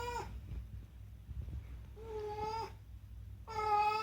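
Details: Unagi, a chatty rescued house cat in Japan, gives a clipped meow, then two sustained, even-pitched meows about a second apart, the last one louder, in a quiet indoor room.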